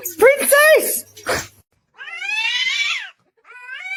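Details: Kitten meowing: a pair of short bright meows at the start, then a longer wavering meow and a brief final one, with a person speaking nearby.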